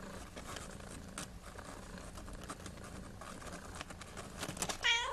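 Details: Traditional Siamese kittens wrestling together indoors: soft scuffling and rustling throughout, then one short, loud, tonal meow bursts out near the end.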